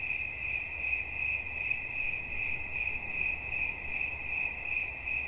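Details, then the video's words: Steady high cricket chirps, a thin ringing tone pulsed rapidly and evenly, over a soft low background hum. "Świerszcz. Dźwięki relaksacyjne"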